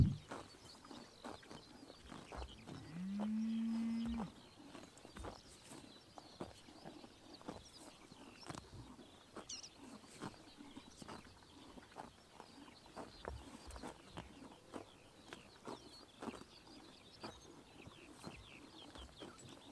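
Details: A horse in Mongolia crops grass in the morning sun in summer, with crisp, rapid tearing and chewing sounds, and a cow lows once nearby.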